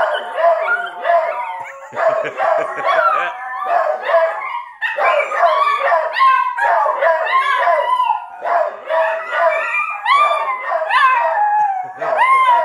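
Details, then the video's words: Three dogs, a puggle, a rat terrier and a dachshund-pug mix, howl together over uneaten food while their owner joins in; overlapping wavering howls with sliding pitch, yips and bark-like onsets, almost without pause. "Dogs howling over uneaten food"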